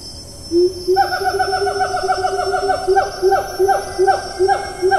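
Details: Siamang in the rainforest of Taman Negara National Park, Malaysia, recorded 4 April 2019; loud, rapid series of rising hooting notes, about three per second, building in strength, over a steady high insect whine.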